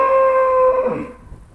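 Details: Myśka, a trained Charolais cow, answers her owner's repeated calls with a steady, even moo of about one second that slides downward and trails off. Recorded in 2017.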